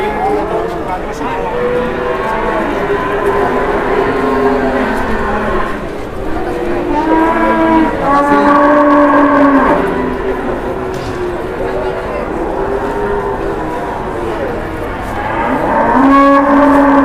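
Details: Cattle at a market, an aggressive bull being unmasked, lowing repeatedly in drawn-out moos amid a steady crowd hum and voices.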